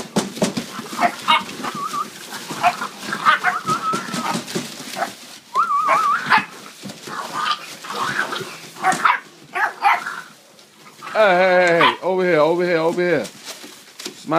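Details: Puppies playing wildly: high whines, yelps and short squeals scattered throughout, then a long, wavering, howl-like cry near the end, with people's voices and handling noises around them.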